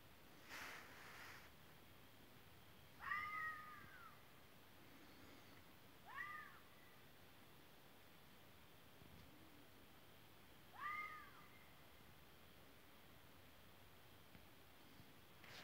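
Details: Fox calling: three short, arched, meow-like cries, each rising then falling, spaced about three to five seconds apart, with quiet background hiss between them.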